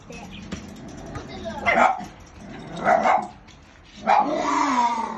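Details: Shiba Inu puppies at a breeder, one of a group of black puppies: three short, rough barks roughly a second apart, each a brief noisy burst, with a softer whining tail at the end.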